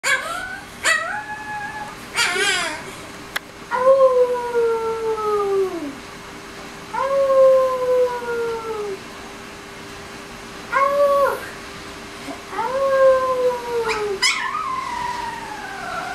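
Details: A 20-day-old female Alaskan Malamute–Siberian Husky puppy howls along with a child, giving thin, high howls that slide downward, one after another.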